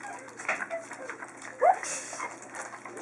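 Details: Chinook puppy from the Zen litter at feeding time on February 12, 2012, giving one short rising whimper amid indoor clatter, with a person's voice instructing the dogs nearby.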